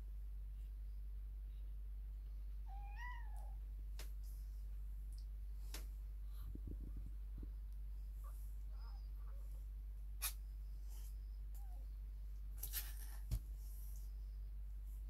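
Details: Kittens awake in their nest while the mother is not nursing or cleaning them; one thin, rising-then-falling mew near three seconds, with scattered clicks, rustles and low steady room hum throughout.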